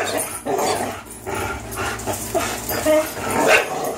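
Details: Two 3-year-old dogs, Fox the Greyhound and Miles the German Shorthaired Pointer, playing tug of war: rough, overlapping growls and grumbles with short bark-like bursts, uneven pulses throughout, low hum beneath.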